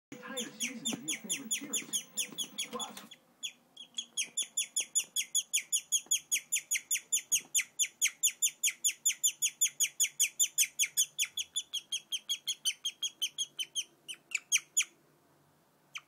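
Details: Pet guinea pig chirping: brief murmur and rustling at first, then a long steady series of high, bird-like downslurred chirps, about two and a half per second, fading out near the end.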